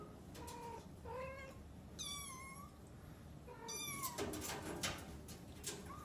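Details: Cat giving a series of short, bright meows, some pitched high and sliding downward, spaced about a second apart and mixed with clicking and rustling handling noises in a small room.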